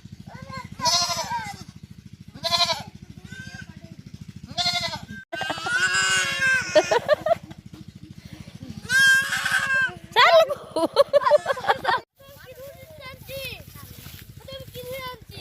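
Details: Baby goat, one of a mother goat's five kids, playing with a boy; loud, trembling bleats come repeatedly, some long and strained, alongside brief Bengali speech and a low background hum.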